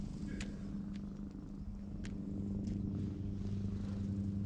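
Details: Low continuous purr from a ginger community cat being petted in a Japanese cat shrine parking lot, GoPro HERO8 recording: steady humming drone growing slightly louder, with a few sharp clicks and brushing sounds.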